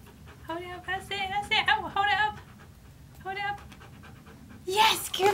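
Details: Siberian Husky talking back indoors, arguing and refusing to do as told while asked to hold up a paw; wavering, yodel-like moaning vocal phrases in several quick bursts, a pause, another short burst, then a louder harsh outburst.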